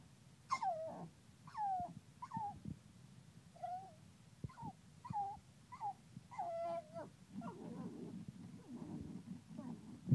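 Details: An angry pug straining to reach the bottle gives a run of short, high, wavering whines about one per second, then breaks into a lower, rougher grumbling whine near the end.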